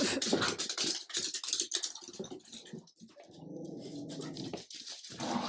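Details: French bulldog puppy with an adult Jack Russell terrier asserting leadership. Noisy scuffling and snarls, then a steady low rumbling growl lasting over a second before a sharp return to scuffling.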